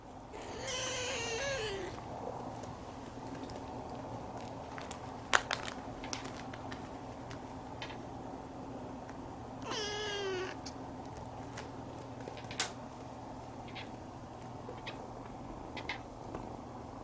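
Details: Former stray Siamese cat, rescued as a kitten, indoors at home; two drawn-out, wavering meows about nine seconds apart, with a steady low hum and occasional clicks and knocks between.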